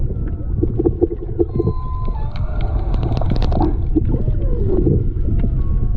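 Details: Humpback whale song recorded underwater by a GoPro while snorkeling off Maui, Hawaii, in February 2020: moans, rising whoops and squeaky upsweeps over a deep underwater rumble.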